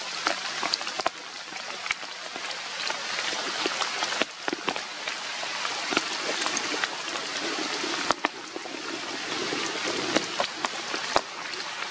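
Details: Steady hissing trickle of water with scattered clicks and no animal voice.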